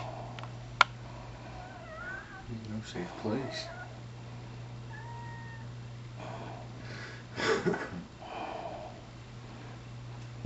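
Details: Almost pure Bombay rescue cat Penny, aged 7 months, playing mother to her squeaky toy monkey and mouse; a few brief, thin tonal meows come between a person's soft talk and handling noises over a constant low hum.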